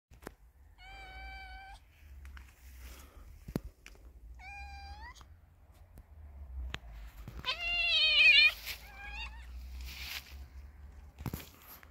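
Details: Male cat mating with a pregnant female cat. Four drawn-out meows come at uneven gaps. The third is the loudest and most wavering. The last is short. Clicks and low hum sound in between.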